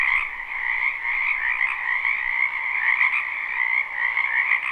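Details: Many frogs croaking in a spring wetland behind a house, a live unlooped recording: a dense, continuous chorus of overlapping trilled croaks, steady in level throughout with no gaps or other sounds.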